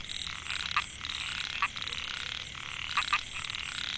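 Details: Microhyla pulchra, narrow-mouthed frogs, chorusing in a Thai rice field at Mae Hia, Chiang Mai, in 2014. Males call to attract females. Buzzy overlapping calls, with loud clipped notes singly and in pairs.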